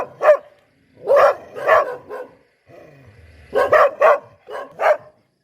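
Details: Poodle bark recording: bursts of clipped, mid-pitched yaps, a single bark then pairs and triplets, separated by short silences, roughly nine barks over five seconds.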